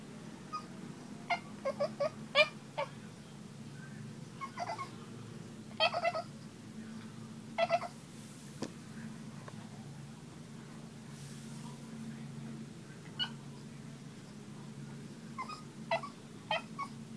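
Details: Talkative Boston Terrier vocalising because it wants to play, giving clusters of short squeaky whimpers and yips with quiet gaps between them, a constant low hum underneath.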